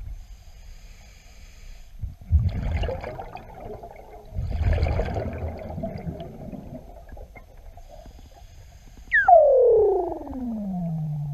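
A Weddell seal gives a long, eerie whistle that slides steeply downward into a low moan.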